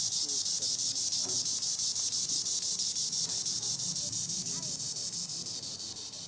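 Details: Green annual cicada (Tibicen linnei) buzzing in the treetops, a strong high continuous drone with rapid even pulsing, faint low chirps from other creatures beneath, easing slightly at the end.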